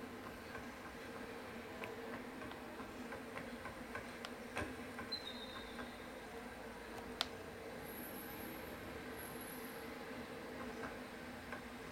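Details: Steady mechanical hum with scattered clicks and brief faint electronic tones, with no animal voice. A short high beep and a thin whine come through, but nothing is clearly an animal.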